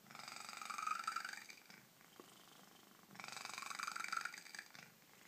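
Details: Domestic cat purring very loudly: a rough, rumbling vibrating drone in two long bursts of about two seconds each, separated by a quieter pause, recorded indoors.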